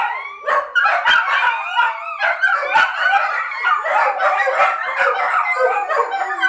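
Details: Several dogs howl together when their owner leaves briefly for the shop without them, a chorus described as separation anxiety; overlapping wavering howls and yips, harmonics stacked high, continuous throughout with sharp barks mixed in.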